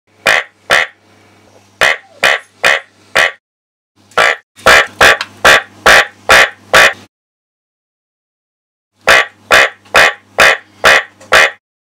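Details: Black-spotted casque-headed treefrog, Trachycephalus nigromaculatus, giving loud harsh clucking notes in three bursts of about seven to nine evenly spaced calls, separated by short pauses, over a faint low steady hum.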